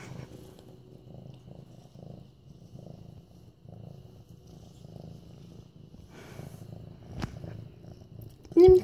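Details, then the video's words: An almost eight-month-old medium-hair orange tabby male cat purring while being petted, recorded 28 September 2015; a low, steady rumbling purr pulsing continuously, with a soft human voice near the end. "Purring Mufasa"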